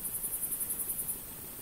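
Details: Female Pholidoptera frivaldskyi bush cricket in a humid meadow near Kosari, Cherkasy Oblast, central Ukraine, 5 July 2023: very high, thin pulses repeated roughly ten times a second for about a second, then stopping, over a low rumbling background.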